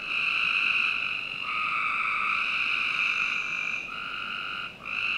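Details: Continuous overlapping buzzy frog calls fill a summer night in a Northern Virginia backyard, several voices joining so the chorus barely pauses.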